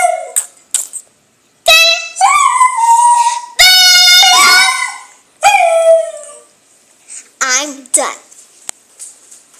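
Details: Dog howling to Selena's Bidi Bidi Bom Bom: a series of short and medium howls and yips, some sliding down in pitch, broken by pauses, with human speech mixed in between the calls.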